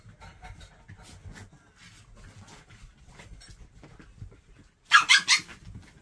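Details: Abandoned Maltese dog in temporary foster care, once part of a feral dog pack that caught chickens, gives a burst of three or four sharp, high, harmonic yelps near the end, after several seconds of quiet indoor murmuring and shuffling.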